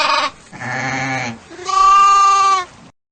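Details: Sheep bleating: three wavering, nasal bleats in quick succession, the last one louder and longer with a steady tone before it stops abruptly.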